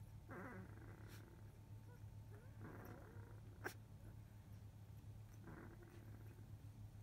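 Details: Field-line Labrador Retriever puppies, 14 days old, from a litter of eight, sleeping after nursing; soft low grunting whimpers in three short bursts, with a steady low hum throughout.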